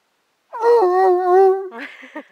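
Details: Buford, a dog, romping and singing: one long wavering, moaning howl lasting about a second with rich overtones, slightly falling then steady, followed by brief clipped voice-like sounds.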